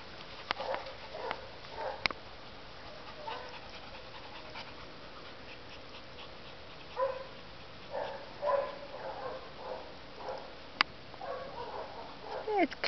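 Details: Teddy, a one-year-old Labrador Retriever needing a home, pants indoors in soft breathy puffs, sparse at first, then coming in steadier bursts through the second half, with faint clicks and a couple of sharp taps.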